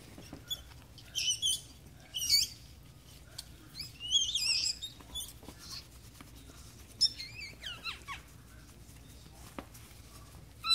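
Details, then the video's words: Newborn Yorkshire Terrier puppies during their mother's delivery at a Michigan teacup breeder. Thin, high-pitched squeaks and wavering squeals come in short bursts, several close together, over a low indoor room hum. "Yorkie Puppy Delivering Puppies Yorkie Giving Birth"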